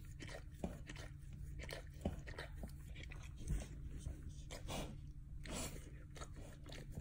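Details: Indoors, a male dog works his mouth on his bunghole: wet licks and crunchy bites come in short uneven bursts, with a few louder snaps against a low constant hum.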